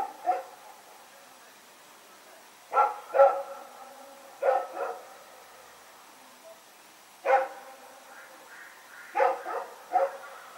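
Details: Rex the dog barking while running around in the night, September 21, 2018: several bursts of barks, mostly in doubles and triples, separated by short quiet gaps.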